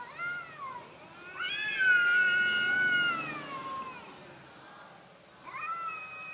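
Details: Cowardly orange house cat crying out in three meows: a short falling one, then a loud, long, sustained wail that bends downward at the end, and a rising start of another.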